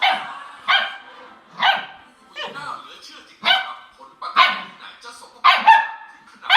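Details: Border Collie barking to intimidate when it cannot win a fight: about seven loud, harsh, broadband barks in quick irregular bursts, each with a strong harmonic stack, plus some faint voices between them.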